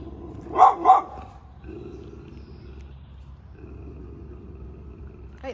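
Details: A neighbour's female dog, not happy today, comes out to greet a Shih Tzu returning home from a trail walk. She may sound fierce but is friendly. She gives two quick, sharp mid-pitched barks, then a quiet background hum.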